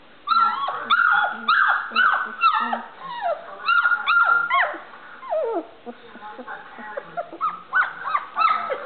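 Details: Playing Standard Poodle puppies, still learning to bark, let out fast strings of sharp high yaps and squeals, short downward-sliding cries packed about two a second, dense at first and then thinning out.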